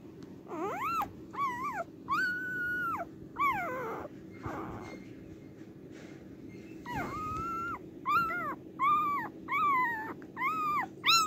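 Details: Cardigan Welsh Corgi filmed 29 March 2024 on its birth day: repeated piercing whines, some level and drawn out, others wavering or sliding down, roughly a dozen cries across eleven seconds with short gaps and faint household hum beneath.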